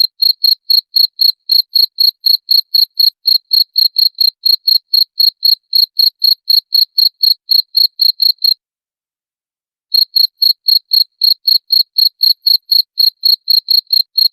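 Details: Cricket chirp for chasing away rats, high and metallic, pulsing about four times a second, pausing for over a second partway through, then continuing unchanged; no background noise.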